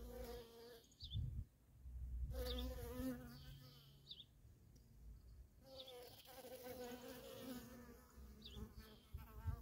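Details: Worker honey bees in steady traffic at a feral colony, their low droning hum broken by a brief dip and a deep rumble near the start before the buzz swells back steadily.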